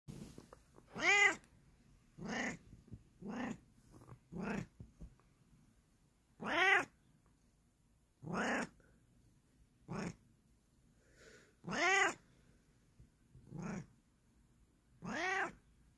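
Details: Bengal cat meowing repeatedly, a series of about ten loud, clear, arched meows with rich harmonics, spaced one to two seconds apart, some short and clipped, others longer and rising then falling; quiet indoor background.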